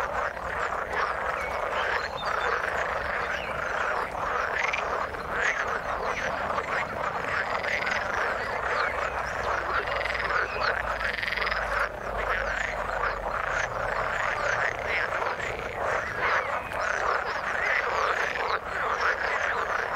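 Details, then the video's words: A thick frog chorus from the water, many croaking voices layered into an unbroken rattling wall of sound that barely varies over the whole stretch. "Frog sound in the water"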